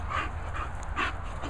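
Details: English Bull Terrier, excited and feeling fresh: quick breathy huffs or pants in short bursts, about every 0.4 seconds across under two seconds, over a steady low rumble in the background.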